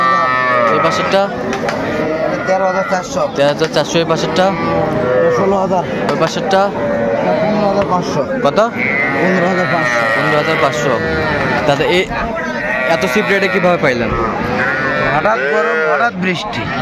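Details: Young bulls and heifer calves at a cattle market in Narail, Bangladesh, on 18 May 2024, lowing in dense overlapping moos, several animals calling at once in harmonic, wavering bellows, under steady crowd chatter and voices.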